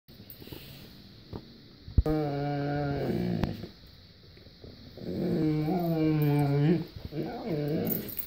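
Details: Dog indoors in a bedroom making whale-like sounds: low, drawn-out moaning howls that waver and bend in pitch, two long tonal stretches with a shorter wobbling moan at the end, and faint room noise between.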